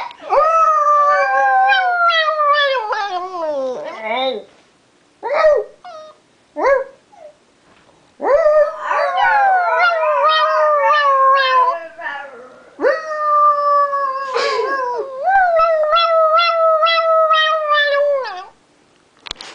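A toy poodle howls in long, high, wavering notes that slide downward at the end of each phrase.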